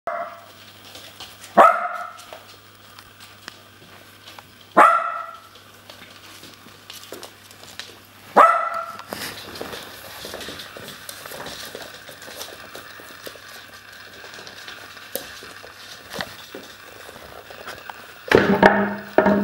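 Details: Puppies barking in a small room: three sharp, loud barks roughly every three seconds, then a stretch of quieter scuffling and faint yelps, ending in a burst of several overlapping barks and yaps.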